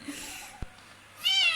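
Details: Two domestic cats excited about wet food being served at home; a loud, high, harmonic meow rises near the end after a faint tap, with a woman's voice in the background.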